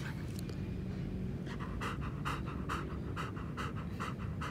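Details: Nana the three-legged German Shepherd pants hard while running on her walk, quiet at first, then a rapid even train of breathy puffs roughly three each second over low steady rumble.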